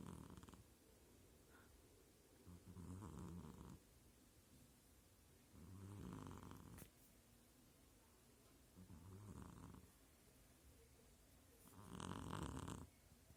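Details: Female kitten asleep and snoring loudly: rough, breathy, low snore bursts repeat about every three seconds, with a louder, harsher snort near the end.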